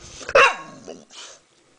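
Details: A female dog barks once at someone at the door inside a home: one sharp, loud bark with a short falling whine-like tail, while a woman asks who is there just before and after.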